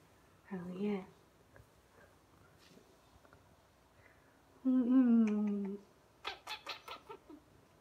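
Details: Ragdoll cat Aoi, about two to three years old, meowing indoors as the owner changes into outdoor clothes to go out; a short meow, then a long, drawn-out wavering meow, followed by clicking sounds.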